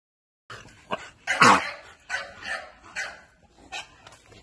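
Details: American Bully dog giving a short run of sharp, broadband barks, one loud bark near the middle standing out above softer, closely spaced yaps.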